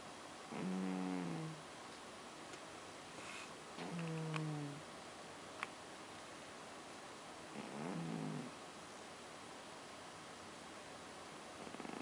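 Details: Pet cat snoring indoors: three low, buzzy, rasping breaths, each about a second long, coming roughly every three and a half seconds, with quiet room noise between them.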